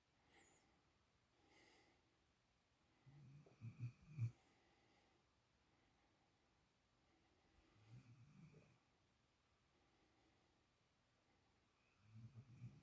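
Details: A sleeping female puppy snores indoors in a spoiled pet's borrowed spot: low rumbling snores in bursts about every four seconds, with quiet breathing between them.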